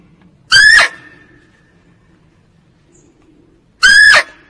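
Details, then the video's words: Female barking deer (kijang) call used as a hunting lure: two loud, shrill, harmonic squealing calls, each about a third of a second, spaced roughly three seconds apart, with faint low background hum between. "Suara Kijang betina untuk p1kat"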